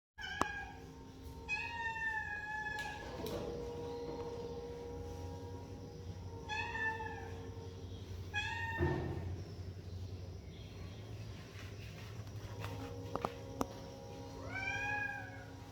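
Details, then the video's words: Kitten meowing: several short rising-falling meows spaced a few seconds apart, with a steady low hum underneath. "cute kitten cat || shorts || baby cat"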